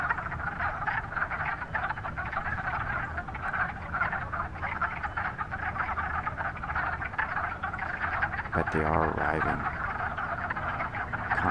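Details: A dense chorus of male wood frogs calling while floating at the surface of a vernal pond in March, early spring, in Northern Virginia, to attract females: clucking, duck-like croaks overlapping into a steady rattling hum.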